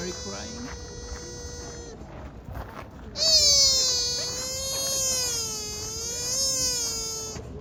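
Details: Sika deer at Kofuku-ji in Nara, Japan, uttering soft nasal 'ni~~' cries: a short steady whine, then a louder, longer one lasting over four seconds with a slight waver, over background murmur.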